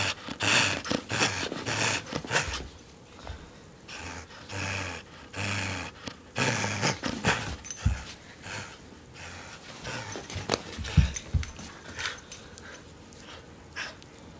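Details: During tug of war, pet dog Lewis makes gruff, panting growls in clustered bursts. The sounds come in uneven groups separated by brief quieter gaps, with occasional sharp knocks.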